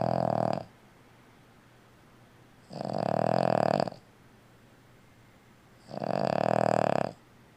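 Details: Elderly female Boston Terrier snoring loudly while asleep indoors, three long rasping snores about three seconds apart, each a rough buzzing exhale with a steady midrange drone and breathy hiss, quiet pauses between them.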